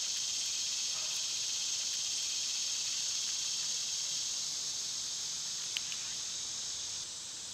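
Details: Loud summer cicadas give a continuous high-pitched sizzling drone, punctuated by a couple of short sharp clicks, before the sound drops slightly near the end.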